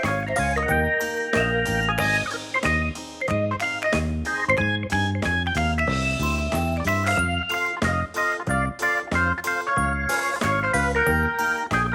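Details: Upbeat instrumental music with organ chords, plucked guitar and a steady beat fills the clip, with no animal sound.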